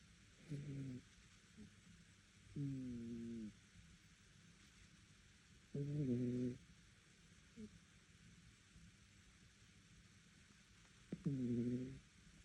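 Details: Dog snoring loudly, said to be heard even by the neighbours: four drawn-out, harmonic, groaning snores about every three seconds, each lasting close to a second, in a quiet room.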